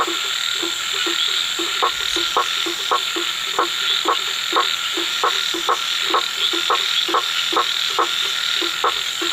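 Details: Night-time frog chorus of clipped croaks, starting softly then settling into a regular rhythm of roughly two per second, backed by a steady high insect whine.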